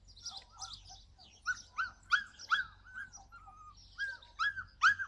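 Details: Yakutian Laika in July 2020, uttering short, rising-then-falling yelps at an uneven quick pace, some soft and some loud, over a low steady background hum.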